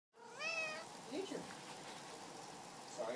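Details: Pat the cat gives a single drawn-out meow, rising and then falling with rich overtones, lasting under half a second. A quiet indoor hush follows, with a few soft faint noises.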